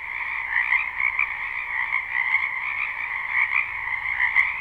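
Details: Chorus of frogs in a wetland during spring, recorded live without looping: a steady shrill trill from many callers layered over a lower pulsing drone, loudness rising and falling gently, one faint click near the end.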